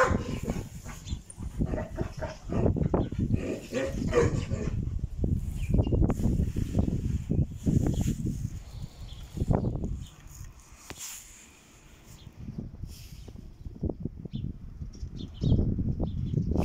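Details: Dogs barking at a kennel that breeds Caucasian shepherd dogs, Alabai and Tibetan mastiffs. Deep, booming barks come in dense, uneven volleys, several per second, with a brief lull midway before the barking resumes.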